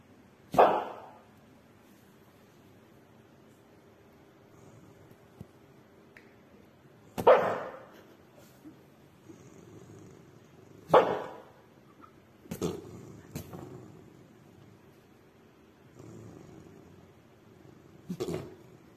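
A Maltese gives sharp, high-pitched barks, singly or in quick pairs, separated by long quiet gaps.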